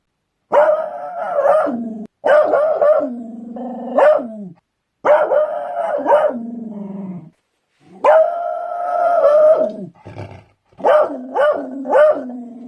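A beagle gives loud, drawn-out baying barks that slide downward at the end of each burst.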